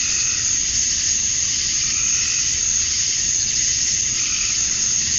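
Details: Male cicadas at summer dusk in Georgia, USA, calling to attract females: a dense, unbroken high-pitched hiss-like buzz, steady in loudness throughout, with a faint lower pulsing murmur beneath.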